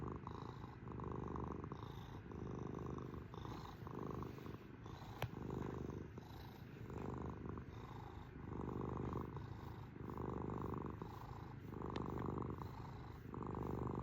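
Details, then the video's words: Domestic cat purring in a slow rhythm of louder and quieter breath phases, a coarse low vibration, with two brief sharp clicks partway through. "KITTY CAT PURRING MACHINE!"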